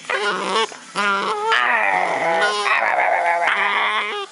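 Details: Pet dog during play, making funny noises; loud drawn-out growly whines and moaning yowls rise and fall in long continuous stretches, broken by brief pauses.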